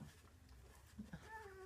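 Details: Two-week-old British Labrador Retriever puppies, a litter of six from Ruby and Del whelped June 24th 2015, indoors with their mother around feeding time. A short, thin whine with stacked overtones rises near the end over a steady low hum and soft clicks.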